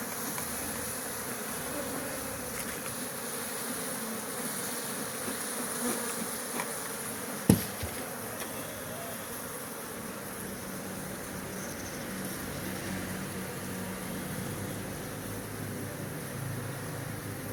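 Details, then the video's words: Bees at a bee farm give a steady, low droning buzz that holds without a break, interrupted once midway by a single sharp knock, with faint hiss above. "Bee Buzzing Sounds: A Day at the Bee Farm"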